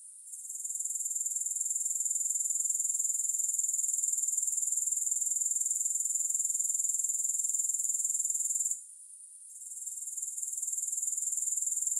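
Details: High, thin pulsing chirr from grasshoppers holds steady for most of the stretch, cuts out briefly near the end, then resumes. No other sounds or music are heard.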